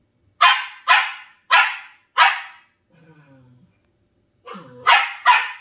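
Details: Two pet Shetland Sheepdogs, one tri-colour and one grey, playing. Four sharp, high barks come about every half second, then a short low whine, a pause, and two more quick barks.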